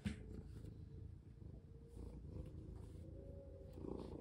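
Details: Housecat purring during a play session in which a collar is fastened on. A deep, even purr continues through the short stretch, with light handling sounds and a faint background hum.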